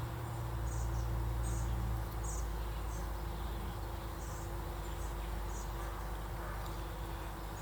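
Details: Honey bees in a 25-day-old hive during an inspection of lightly filled deep frames, nectar going in at the top; steady low droning hum throughout, louder in the first two seconds, with faint handling clicks.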